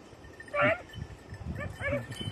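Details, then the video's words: Beagles of red-blue tick and lemon-white colouring on a 2022 hare hunting practice on Crete: one loud harmonic bay, then two softer quavering yelps near the end, with rustling and a steady high insect-like whine behind. "2022 hare practice redblue tick lemon white beagle crete Island"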